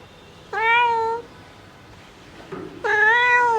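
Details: Mother domestic cat calling for her kittens: two clear, level meows about two seconds apart, the second slightly louder and longer, over quiet background.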